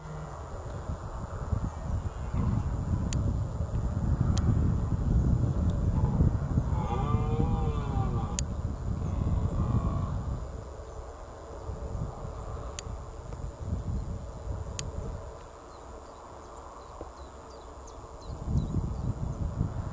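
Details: A red deer stag in a reedbed roars during the 2023 rut, a deep, drawn-out groaning bellow.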